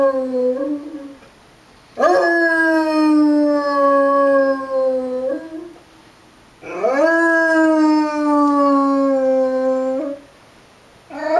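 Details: Winston, a pet Basset Hound, singing along with tornado sirens: two long harmonic howls, each starting with a sharp rise then holding a steady, slowly falling tone for about three seconds, separated by quieter gaps with a faint low tone.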